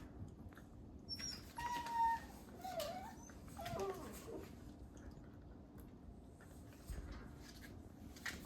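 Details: Three 8-week-old Labrador Retriever puppies, Gray, Yellow and Green, wrestling together while awaiting adoption through Golden Gate Labrador Retriever Rescue; a thin steady whine, then a few short falling squeaks and yips over soft scuffling and paw noise indoors.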